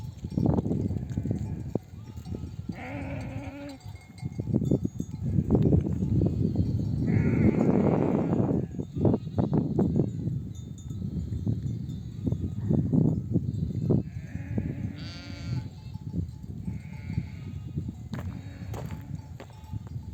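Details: Nomadic sheep flock home from pasture, mothers bleating for lambs to nurse; many overlapping bleats of different pitches with steady hoof trampling, rustling and occasional bell clinks.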